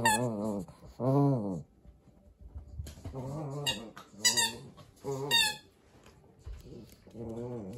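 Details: Papillon-Corgi mix dog playing with a rice ball toy indoors in Japan: high harmonic whining cries rising and falling, in bursts separated by pauses, with sharp squeaks from the toy.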